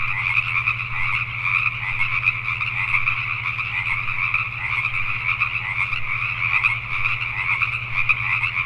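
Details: After nightfall in Richmond, British Columbia, Canada, a crowd of Pacific tree frogs keeps up a nonstop rasping croak chorus, slightly surging in places, over a continuous low mechanical-sounding hum.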